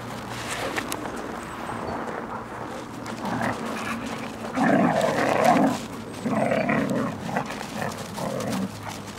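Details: Siberian huskies in Finland during winter 2014, giving loud, rough bursts of barking and yelping in two main clusters mid-clip, over a steady low hum and scattered clicks and rustling.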